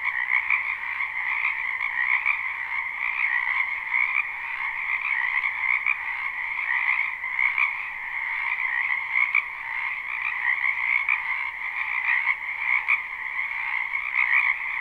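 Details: Frogs croaking in a spring wetland behind a home, live with no looping: a steady wall of overlapping rapid trills in two bands, rising and falling gently in loudness throughout.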